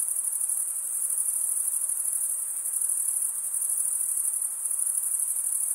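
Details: Crickets chirping in a steady, shrill, high-pitched trill that pulses rapidly without a break. No other sounds are heard.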